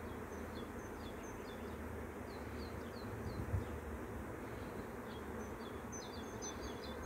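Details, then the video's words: Swarming bees, a steady dense low buzz that fills the air without a break, while small birds chirp in short high notes in the background. "BEE SWARM 01..... ΑΦΕΣΜΟΣ"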